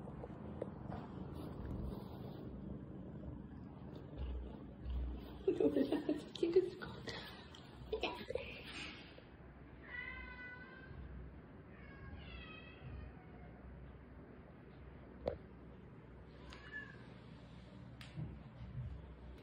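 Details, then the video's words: Rescued kitten crying, one of several kittens found after falling into a dark sewer or crying for hours in bushes: clear high, harmonic mews in two bursts near the middle, a fainter one later, with human talk and laughter earlier. "암흑같은 하수로에 떨어져 울고 있던 새끼고양이"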